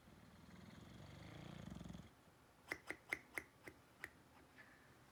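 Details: Sleeping dog gives a two-second rumbling snore, a steady throaty vibration building in strength, followed by silence broken by a row of six or seven crisp clicking taps.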